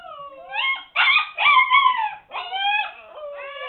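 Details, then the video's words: Seven-week-old Siberian Husky puppies shut in their pen while cleaning goes on let out drawn-out, wavering howls that rise and fall, several long cries following one another with brief dips between. "husky pups at 7 weeks, being noisy!"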